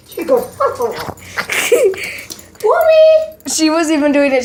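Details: Dog howling with its family as they make weird noises for it; short yelping whines and talk at first, then a sustained rising and steady howl near the end.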